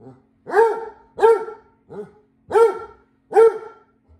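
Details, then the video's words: Basset Hound Vincent voices concern about a roomba cleaning the floor indoors: five full, harmonic barks at a steady pace of roughly one every 0.7 seconds, one shorter and quieter in the middle. "My Basset Hound dog Vincent is concerned about the new cleaning alien in our house."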